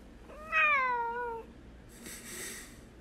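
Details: Pet Bengal cat described as flirting; a single clear meow lasting about a second, starting bright and sliding gently downward, followed by a soft rustling hiss-like noise.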